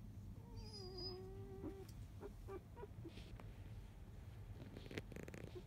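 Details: Sleeping Labrador Retriever puppies of a field line, four days old, mother biscuit; one drawn-out, wavering thin whine that slides down and holds, then soft clicks and rustles over a low background hum.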